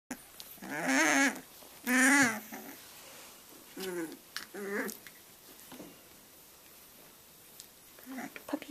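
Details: Three-week-old Boxer puppies learning to play indoors, giving two loud, high, wavering whiny yelps near the start, then shorter soft grumbling growls, with quiet pauses and faint human voice between.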